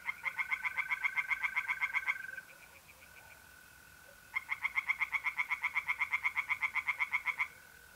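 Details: Tree frogs singing in a pond at night in mid-April, North-East Italy: two bursts of rapid, evenly pulsed croaks, each lasting about two to three seconds, over the steady high trill of mole crickets.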